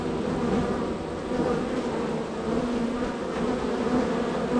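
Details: Honey bees swarming around the entrance of a busy hive in a row; a full, even buzzing drone that swells slightly and carries faint whining tones from passing bees.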